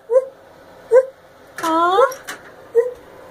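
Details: A five-year-old female gibbon showing off her calling gives brief, clear hoots about a second apart, with one longer tonal note in the middle that rises and falls before the hoots resume.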